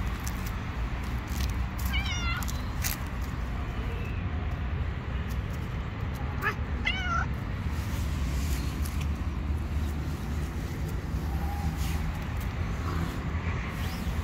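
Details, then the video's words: Hungry stray cat living on the street, wanting food but very afraid of other cats: two short rising-falling meows near two and seven seconds over steady low street rumble, with faint clicks and rustling. "The Hungry Cat wants food from me but is very afraid of other Cats."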